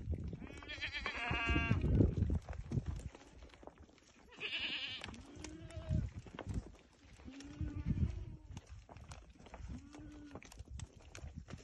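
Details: Bleating from a herd of about thirty goats with three young: a short nasal bleat early on, a brief higher cry, then several lower, shorter calls among rustling, thumping and a voice in the background.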